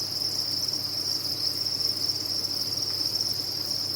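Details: Crickets kept on a cricket farm fill the air with a constant sharp, high chirping drone that pulses slightly but never stops.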